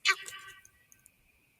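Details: A sambar deer gives one loud, abrupt honk that rings out and fades, followed by a few faint clicks, as it honks, stomps and raises its tail to announce a nearby hunter to the valley, at night.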